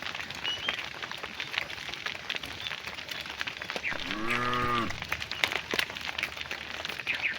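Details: A cow calling to its herd while the cows are driven back to their barn in the afternoon: one short moo of under a second, slightly arching in pitch, over constant crackling and rustling ambient noise.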